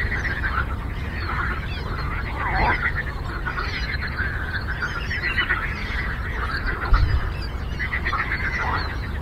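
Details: Many frogs calling together on a lake, their pulsed croaks overlapping into an unbroken, throbbing chorus with a few louder, downward-sliding notes near the start, over a constant low background rumble.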